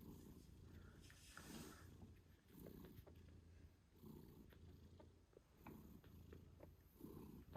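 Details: British Shorthair mother cat named Moon Stone purring while nursing her 8-day-old kittens; steady low rumbling pulses in repeated breaths about a second apart, with faint squeaks and soft clicks of movement.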